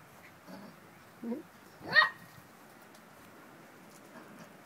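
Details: Puppies playing with pine cones as toys; two soft, low yelps, then one sharp, bright yip with a quick rising-falling sweep near the two-second mark, over quiet outdoor background.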